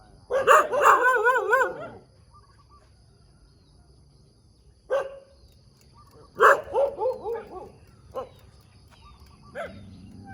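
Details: A dog on a road in the morning gives a wavering, drawn-out bark-howl, falls silent for about three seconds, then adds a few scattered short barks and another wavering cry.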